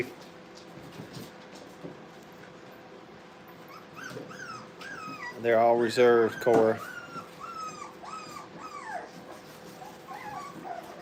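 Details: Playful Brittany puppies at a kennel whine and squeak in thin, rising and falling cries, repeated quickly, with a short stretch of a person talking over them in the middle.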